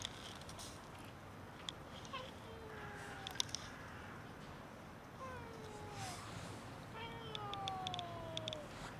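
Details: Many cats gathered by a building, waiting to be fed and petted, meow in drawn-out falling tones, several overlapping calls toward the end, with light clicks and a hiss of outdoor background.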